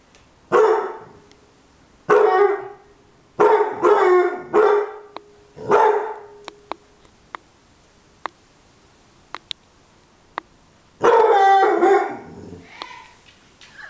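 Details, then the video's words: A Beagle gives about seven loud, rough barks, mostly spaced one to two seconds apart, with a quiet stretch broken by faint clicks before a final strong bark and a short trailing whine. "Beagle bellen"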